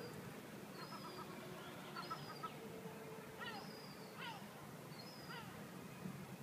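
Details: A Jack Russell Terrier puppy on a very hot day gives high, thin whines and short squeaky yelps that sweep downward.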